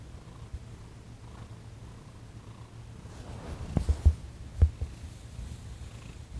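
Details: Thomas the cat purring during a massage and Reiki session on December 28, 2021, while his sensitive paws and legs are worked on; a steady, low rumbling purr throughout, with a few soft handling thumps around the fourth and fifth seconds.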